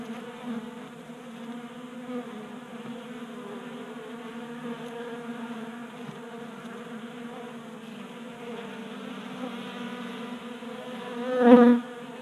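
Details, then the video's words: Honey bees feeding at a 3D printed feeder in a Colorado garage on a mild January day, a soft steady wing hum that rises into a louder close buzz near the end as one bee passes by. "Honey Bees Feasting from 3D Printed Bee Feeder"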